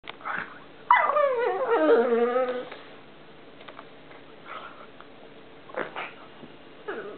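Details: Columbo, a pet pug, making a strange noise while playing: a long wavering whine that rises then slides down with warbling harmonics, followed by quieter short whimpers and snorts.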